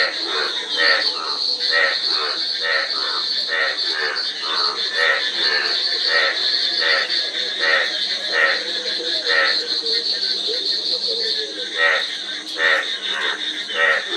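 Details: A dense frog chorus of short, ratcheting croaks coming in quick irregular bursts, layered over a continuous high whining drone.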